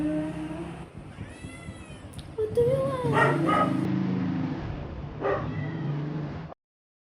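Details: Princess, a pregnant adopted Persian cat in her first pregnancy, asking for food often, gives a rising, drawn-out meow. A woman talks to her in Filipino before and around it.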